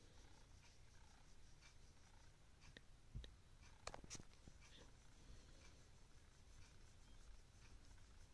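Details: Simba, a pet cat awake at midnight, purring softly and steadily: a low, even rumble throughout, with a few faint clicks and rustles near the middle and a quiet indoor background.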